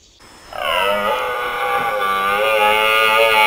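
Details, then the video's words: One sustained, harmonic red deer roar during the Swiss rut, starting after a short quiet moment and holding steady for about three seconds. "Deer Rut Switzerland"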